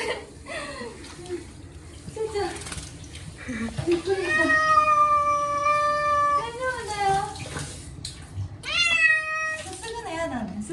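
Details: A male Munchkin named Chacha, short-legged, cries loudly at the rinsing stage of his once-a-year bath. There is one long, sustained, slightly falling meow, a shorter yowl after it, and gentle reassuring speech around the cries.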